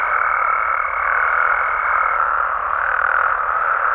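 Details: At night in Mexican amphibian habitat, a massed frog and toad chorus forms a continuous croaking hum, overlaid for the first two seconds by a steady high whine that then drops away.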